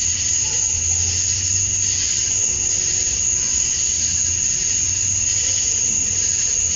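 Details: Male cicadas at dusk on a summer night in Georgia, USA, singing to attract females: a sustained shrill note and rushing hiss without breaks, with an intermittent low hum below.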